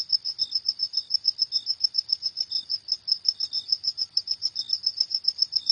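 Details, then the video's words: Cricket heard at night producing a rapid, regular series of sharp high chirps, accompanied by sporadic fainter, slightly lower chirps. "Suara Jangkrik di Malam Hari"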